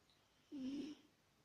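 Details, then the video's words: Sleeping adult British Shorthair she-cat giving a single short, low, rasping snore lasting under half a second against quiet indoor background. "Кошка храпит"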